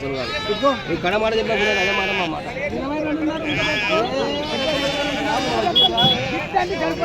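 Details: Several quavering sheep bleats rise and fall, some overlapping, amid steady chatter of traders bargaining over prices at a busy sheep market in Pebbair.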